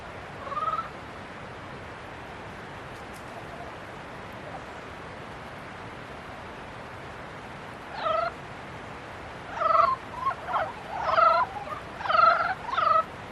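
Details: Frogs in mating season giving nasal, stacked croaking calls, one early call then a cluster of repeated bursts in the last five seconds, each short and harmonic-rich, over a steady hiss of background noise.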